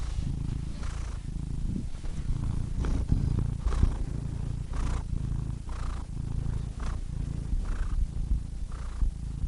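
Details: Purring cat close up, a rough low throbbing drone with airy breath puffs and soft clicks rising above it at irregular intervals through the whole stretch.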